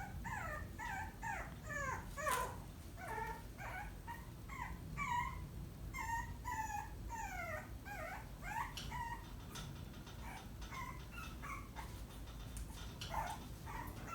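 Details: Maltipoo puppy whining to seek attention, a string of short high whistled whimpers, many sliding downward, repeated rapidly over the whole stretch with brief gaps and a faint background hum.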